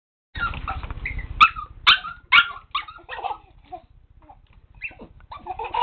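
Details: Dog with a baby laughing at it outdoors; a run of short, bright yips and whimpering barks, several sharp ones close together early on, then softer scattered calls with a steady low hum beneath.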